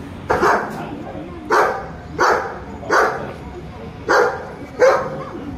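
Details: Five German Shepherds said to be ready to attack barking at a house: six loud, harsh barks in an irregular series about one second apart, each a short broadband burst, with low background noise between them.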